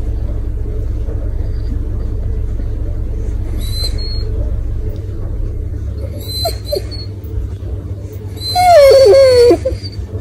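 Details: A male Basset Hound gives a drawn-out, falling whine, requesting food, over a low background rumble.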